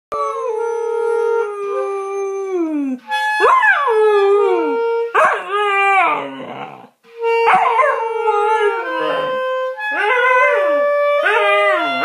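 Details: Pet dog howling along to a clarinet; long steady clarinet tones alternate with the dog's sliding, wavering howls that rise and fall in pitch, overlapping the instrument.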